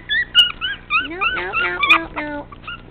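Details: Tiny 13-ounce teacup Chihuahua puppy, a rowdy male, whining loudly in quick succession: high squealing whimpers that bend up and down, run into a rapid yelping burst, then taper off while a woman scolds him nearby.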